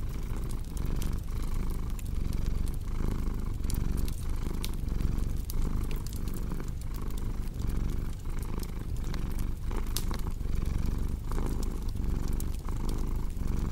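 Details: Low rhythmic purr of a cat beside a crackling fireplace, the breathing pulses steady but partly blurred by dense snapping and popping from the fire.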